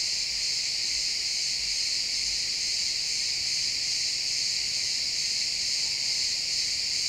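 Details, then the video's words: At sunset in a pine forest, many crickets chirp together in an unbroken, bright, high-pitched buzzing trill at an even loudness. "Cricket sounds in the pine forest"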